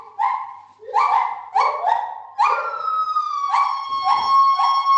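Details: Gibbons calling loudly in the main gibbon house of a zoo: a rapid series of short whooping notes, then a long clear whistled tone sliding gently downward, with more hooting notes layered over it.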